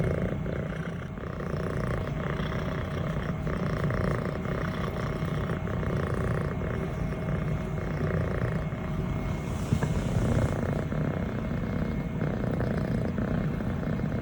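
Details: Purring from a six-month-old female Scottish Fold kitten with a fluffy brown tabby and white coat, petted indoors by her owner and shifting posture; an even, deep purr runs unbroken, with a brief soft rustle near the tenth second.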